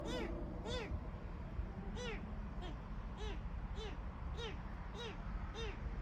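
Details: Small kitten found among flowers in front of a house entrance, crying alone and desperately, apparently separated from its mother; high, arching meows repeated roughly every second, about eight in a row, over a low steady background rumble.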